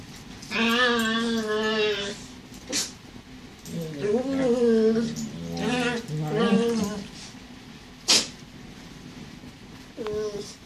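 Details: Indoor play between Hollywood, a border collie mix, and Bowie, her new terrier puppy who torments her. A long tonal whine opens, then wavering grumbling whines and a sharp click, with quieter whines near the end.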